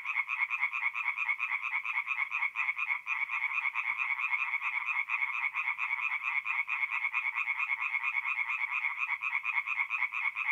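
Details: Singing tree frogs at a north-east Italian forest pond by night in mid-April; a long, relentless run of quick rasping croaks from several frogs merging into continuous pulsing sound.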